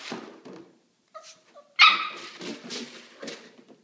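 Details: Kramer the Maltipoo puppy plays with a milk jug he does not like. A few soft whiny squeaks lead into one loud shrill bark, followed by rustling and muffled noise of the jug.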